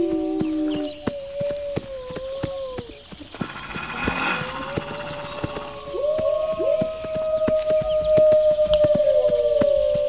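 Several wolves howl together in long, steady notes that slide gently up and down over a crackling background.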